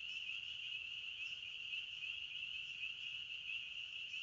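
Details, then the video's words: A chorus of forest crickets gives a steady, shrill trilling drone, dense and unbroken, with slight flickers of individual chirps riding on the band and quiet low background rumble. "Sounds of Nature Series - Crickets of the Forest"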